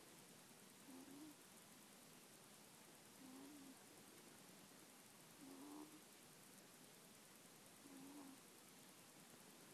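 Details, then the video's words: Middle-aged pet ferret asleep, recorded on an iPhone on 26 January 2014, snoring modestly with a soft puffing 'poo-poo-poo'; four quiet low puffs arrive about every two and a half seconds over a steady background hiss. "フェレット ★ つつましく鼾（いびき）をかく"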